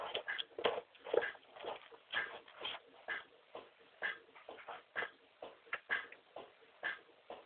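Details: American Staffordshire Terrier named Lara vocalising indoors in a small room, a steady run of short, rough, mid-pitched moaning yelps repeated about twice per second, rising and falling like talking back, with no other clear sounds.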